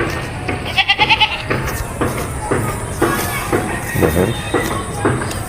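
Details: Castrated male goat with two adult teeth, offered for sale at a dairy pump in Bangladesh; several short wavering bleats repeat about once a second, with a man speaking Bengali nearby.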